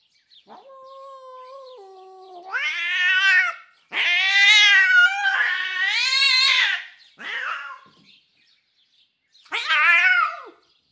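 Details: Enraged female domestic cat named Jasper, captured for a cat vocal library, giving crazy, drawn-out cries: a low, steady moan rising into harsh, strained wails, one long continuous yowl, then two shorter, choppy outbursts separated by brief silence.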